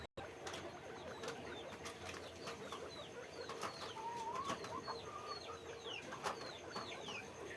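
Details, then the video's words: Guinea pigs at a guinea pig farm, many animals together: short, high, downward-sliding squeaks scattered through the clip, with one lower wavering squeak midway, over a steady hiss and scattered clicks and knocks. "guinea pig farm, guinea pig sound, guinea pig noise, guinea pig cage, sequeaking"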